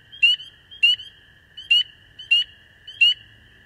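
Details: Five clear, sharply rising spring peeper peeps spaced about every 0.6 seconds, loud and close, over a steady high-pitched continuous trilling chorus in the background.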